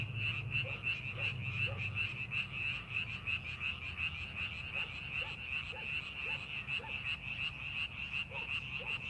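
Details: In rice paddies readied for planting, frogs give a fast, pulsing croak chorus, roughly three calls per second, buzzy and high, with softer lower croaks scattered between and a low rumble early on.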